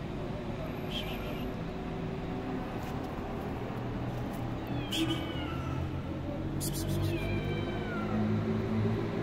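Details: Stray cats living on the street, a black cat and two white cats, meowing: a few descending, drawn-out meows around the middle and near the end, over a constant low outdoor rumble with brief clicks.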